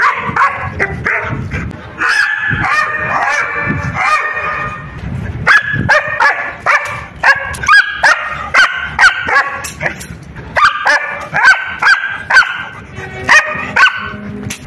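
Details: Excited German Shepherd barks come in bursts of high-pitched, ringing yelps, often several in quick succession, pausing for a second or two before resuming, repeated steadily throughout.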